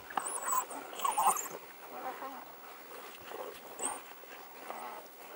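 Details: African wild dogs digging a warthog out of its hole: short whimpering squeals with bright tonal bits near the start, then softer scattered whines amid rustling and scraping, with thin high squeaks above.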